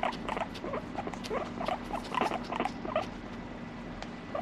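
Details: Domestic guinea pig producing scattered short squeaky pulses and brief chattering notes, irregularly spaced and softer toward the end, with a low steady hum in the room.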